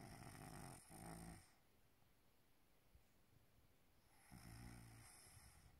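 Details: Maine Coon cat snoring like a human, two long, rough, low rumbling snores with harmonic overtones separated by a few seconds of quiet breathing, indoors.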